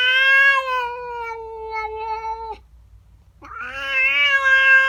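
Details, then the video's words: Unhappy female house cat caterwauling at a neighbour cat that entered her garden: a long steady low wail sliding slightly downward, a brief pause, then a louder, higher, tenser yowl. "Cat doesn't like the neighbour cat. FUNNY WEIRD CAT NOISES!!"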